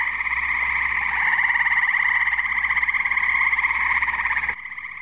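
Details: Chorusing tree frogs at a pond on a muggy night in New Jersey: a dense, continuous trilling mass with pulsing bands, steady and loud throughout, fading slightly near the end.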